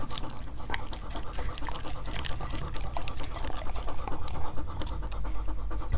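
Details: Close recording of dogs tasting assorted fruits, with rapid uneven panting breaths, about two per second, over constant moist licking and crunching clicks.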